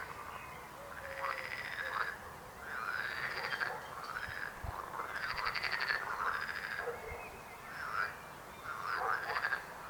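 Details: Several frogs give rasping, pulsed croaks in short overlapping bursts, separated by brief gaps, the chorus rising and falling steadily over a faint low background rumble.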